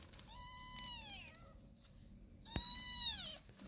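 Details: Meowing from 45-day-old kittens while their mother cat starts weaning them: two clear, high, drawn-out mews, the first about a second long and falling at the end, the second louder after a short pause.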